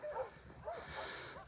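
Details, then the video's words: Little girl puppy found abandoned outside Takis Shelter with many ticks, crying; faint, high whining squeaks with arched pitch, a few spaced through the clip against a steady hiss and low rumble. "I hear a puppy crying outside of the shelter"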